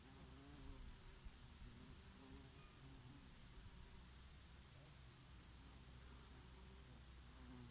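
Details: Summer honey bees grazing on oregano blossoms, their low humming drone rising and fading as several insects fly among the flowers, set against a gentle breeze.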